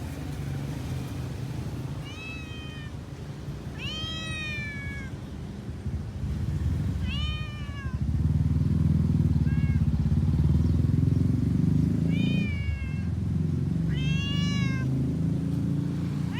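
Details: Stray street cats in Malaysia while eating: repeated loud, arched harmonic meows, about six calls spaced every two seconds, some drawn out and falling, over constant low traffic rumble and urban background.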